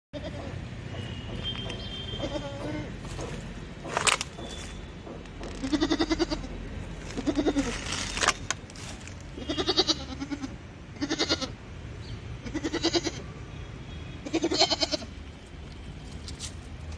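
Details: A goat in a mutton shop gives short, nasal, wavering bleats, repeated every one to two seconds.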